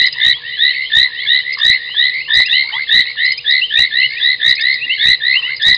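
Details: At night on 30 January 2021, foam nest tree frogs call at a waterhole on Djuma Game Reserve, Sabi Sand, South Africa: crowded overlapping chirps, punctuated by loud clicks roughly every half second to second.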